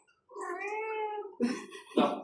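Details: Indoor cat meowing while another cat is being showered: one long, drawn-out wailing meow of about one second, followed by two short harsh bursts, with a person speaking Bengali nearby.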